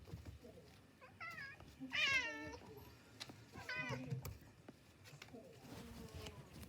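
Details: Several cats eating cat grass indoors, one giving a few drawn-out meows, the loudest a wavering, nasal cry near the middle, with a softer meow after it, amid rustling and faint chewing.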